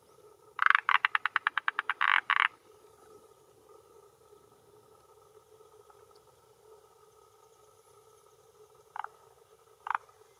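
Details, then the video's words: A male forest green tree frog (Rhacophorus arboreus) at a hillside pond shore in Japan, early June, late afternoon around 18:10, gives a fast rattling burst of clucking notes, then two lone croaks, claiming territory and attracting females. "Croaking Male of Forest Green Tree Frog"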